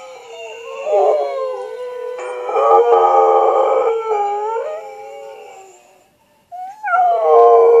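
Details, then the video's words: A pet dog named Mouse Wang howls in long, sustained harmonic tones that waver and slide in pitch, with a brief break before a final rising howl. "Mouse Wang howling"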